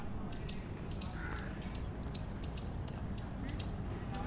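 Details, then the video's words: Shrill, clipped chirps of an eastern chipmunk come in quick pairs and singles at a brisk, fairly regular pace, with one faint lower call in the background. "Eastern Chipmunk Chirping Sounds"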